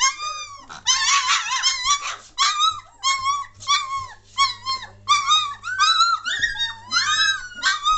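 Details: German Shorthaired Pointer puppies at 3 weeks, 22 May 2014, getting lively: repeated clear whining squeals, each rising then dropping, coming in quick uneven bursts about every half second, some overlapping, with a low steady hum underneath.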